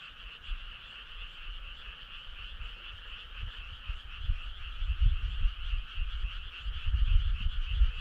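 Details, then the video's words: A choir of frogs on a summer night near a country road, rhythmic pulsing trills forming a constant drone, while low rumbling gusts grow stronger toward the end. "Cool frog sound"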